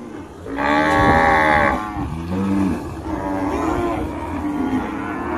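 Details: A cow gives a long, loud moo with stacked, steady harmonics lasting about a second, then a shorter, lower second moo, followed by softer continued lowing.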